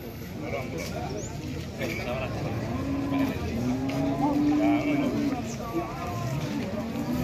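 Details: Cattle at a livestock sale where a jumbo cow is bargained over through a middleman: a sustained moo of about two seconds midway, with short chirps, people talking and vehicle noise around it.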